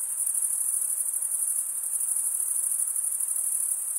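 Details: A constant high trilling from crickets, the males rubbing toothed wing veins together, with a fine rapid pulsing audible through the steady shimmering tone and nothing else in the background.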